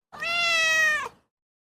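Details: Indoor Ragdoll cat giving a single long, level meow lasting about one second, with a steady tone, ending in a brief downward drop, in a quiet room.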